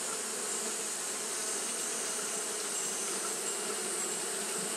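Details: Japanese honey bees keep up continuous fanning on a hot day, producing an even, low, motor-like drone layered under a sustained high hiss that stays level from start to finish.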